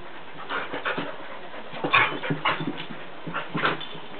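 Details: Two pet dogs, Sadie and Charlie the Jack Russell terrier, playing together; short rough growly bursts and whimpering yips come in clusters between softer panting, with muffled scuffling under a steady low hiss.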